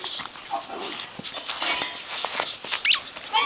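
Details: Woody, a pet Yorkshire Terrier playing with a toy in 2009, gives brief high whiny squeaks and short yips scattered through a rustling, scuffling background, with a sharper rising squeal near the end.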